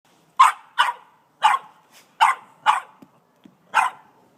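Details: An 18-month-old Boston Terrier barking at a snow shovel, recorded on an iPhone; six sharp, loud barks spaced about half a second apart with brief pauses, a couple of soft thuds between them.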